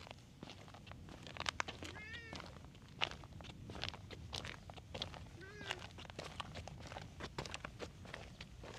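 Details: Stray cats on a cat island patrolling back alleys; two short, faint meows rising and falling, near 2 and 5.5 seconds, over a steady background hiss with scattered clicks and rustles.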